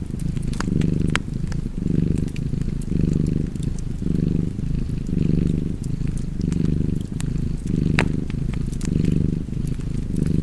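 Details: Cozy purring cat near an open fire; a low buzzing rumble rises on each inhale and exhale in slow regular waves, around fifty per minute, accompanied by occasional sharp wood crackles.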